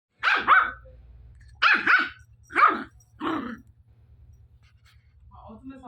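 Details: A 1.5-month-old Pomeranian puppy gives four short, high, yapping barks over about three seconds, then falls quiet against a steady low background hum.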